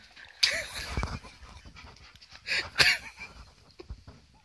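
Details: Alaskan malamute reacting to a birthday balloon: quick, breathy panting bursts with a short soft whimpering whine, and a couple of sharp rustling knocks between breaths.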